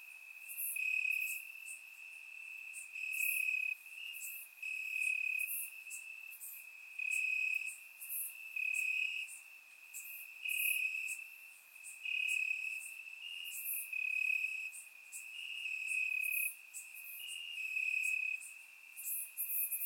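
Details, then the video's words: Night chorus of crickets in grass on a warm Bulgarian summer night, surround microphone: a continuous piercing trill at fixed pitch, rising and falling in volume roughly every two seconds, punctuated by brief, very high, hissy insect bursts. "Cricket Sounds - Crickets Chirping at Night"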